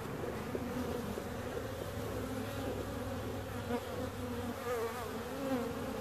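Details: Bees buzzing in a steady, dense drone, low and continuous with a constant hum throughout, occasional brief higher tones rising above the mass of wingbeats.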